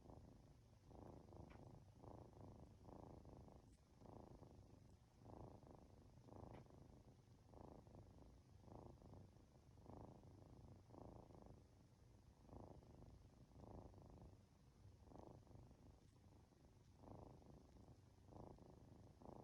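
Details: Drowsy two-month-old Norwegian Forest Cat kitten purring under stroking at home, a deep buzzing rumble rising and falling in even breath-paced pulses roughly every second, clear and close throughout.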